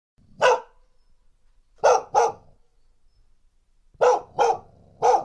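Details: Female dog recorded in the field with a TASCAM DR1 recorder with windscreen, barking threateningly; sharp single and paired barks with short silences between, six barks in total, clean background.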